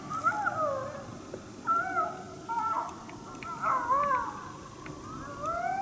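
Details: Unseen wild coyote at St-Andrews, 1 March 2019, challenge-barking in displeasure at a hunter nearby: about five short, harsh bark-yips sliding up and down in pitch, each ending in a brief howled tail, with faint background hiss.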